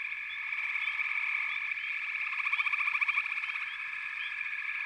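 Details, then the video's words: Backwater frog chorus of countless overlapping voices: a constant high buzzing trill, scattered rising chirps, and a rapid pulsing rattle that strengthens in the second half. "FROGS - Pig Frogs, Water Frogs, Backwater Chorus, & Frog Chorus"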